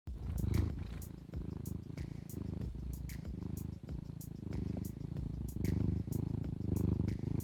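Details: Domestic cat purring, a soft snoring-like sound heard in its breathing; a low rumbling drone pulsing in steady breaths, with faint clicks and light handling noise above.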